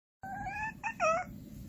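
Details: Pet cats, among them a Persian Chinchilla, a Scottish Straight and a Korean Shorthair, playing a fishing game in hot summer weather indoors: a drawn-out tonal meow, then a short chirp and a brighter, slightly falling meow.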